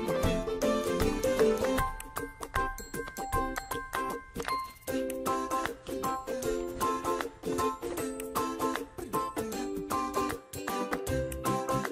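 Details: Bright children's music plays throughout, with chiming, bell-like notes in a bouncy rhythm and no animal voice.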